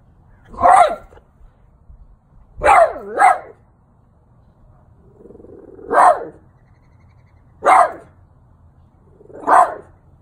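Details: An elderly 12-year-old French Bulldog barks at a St. Francis statue in short, punchy, mid-pitched bursts, singly or as a quick double, with gaps of one to three seconds between them.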